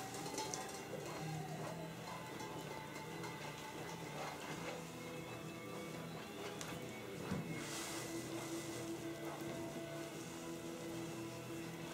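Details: Steady background music with layered tones and a low hum plays throughout, with no clear animal voice.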